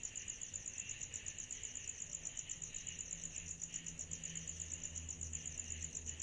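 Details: A summer-night cicada chorus gives an even, shrill pulsing about four beats per second, layered over a duller buzzing band. A low hum runs faintly in the background.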